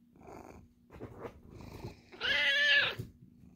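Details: Dachshunds, a puppy and an 11-year-old, playing after breakfast indoors: low grumbling, then a loud, harsh, drawn-out growling snarl lasting almost a second, with a steady electrical hum behind.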